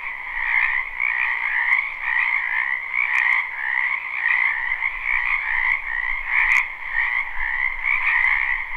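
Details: Frogs of a spring wetland croaking together, recorded live without looping: continuous overlapping trills forming a dense, even drone, with occasional sharp ticks.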